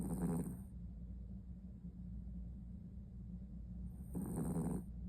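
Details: Maltipoo dog snoring loudly while asleep: two rough, rumbling breaths about four seconds apart, each with a hissing edge, over a constant low hum.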